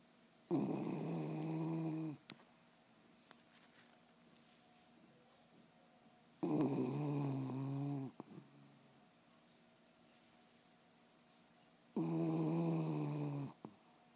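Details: Sleeping dog named Loreto snoring: three long, rasping, buzzy inhalations, each under two seconds, coming roughly every five to six seconds with near silence between, in a small quiet room.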